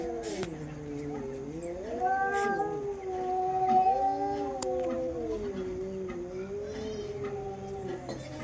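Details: Two female domestic cats fighting, one long continuous growling yowl that wavers up and down in pitch for the whole stretch, with a low droning undertone and occasional clicks.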